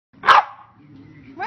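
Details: West Highland White Terrier puppy drinking a pup cup through a straw gives one short, sharp high bark, then quiet low rumbling and the start of another sound at the end.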